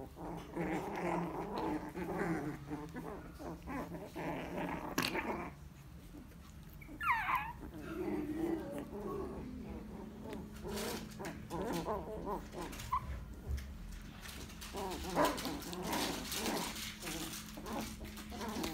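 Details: Lhasa Apso puppies growling and whimpering in low, rough bursts, with a thin rising whine partway through and scattered knocks and rustling from play, plus faint background voices.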